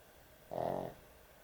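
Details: A dog asleep at bedtime gives a single loud, vibrating snore of about half a second, a rattly pulsed rasp rising out of quiet room tone.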